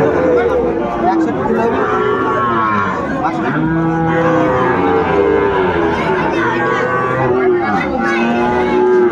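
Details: Several overlapping moos from cattle at Ambari market, Netrokona, Bangladesh, where Sahiwal bulls were being bought on 8 November 2024. Long tonal lows rise and fall over about nine seconds against continuous crowd chatter.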